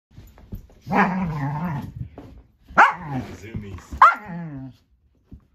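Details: Norwegian Elkhound puppy, female, with zoomies while trying to play with her older brother, who seems unhappy about it. A harmonic growling rumble leads into short sharp yelps and a rising whine, with a brief pause between each burst.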